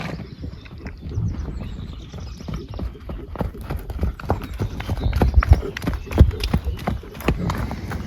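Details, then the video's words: Horses eating hay, fed while waiting for the grass to improve: steady low crunching and munching with dense irregular bites, growing louder and sharper toward the end. "The relaxing sound of horses eating"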